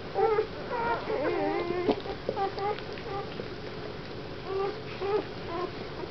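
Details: Indoors, young Weimaraner puppies of a litter whelped 1 April 2009 at Mladkov u Boskovic, dam Goja z Údolí Vltavínů, give high quavering cries and whines, several overlapping, then quieter wobbling whimpers after pauses, with faint room noise.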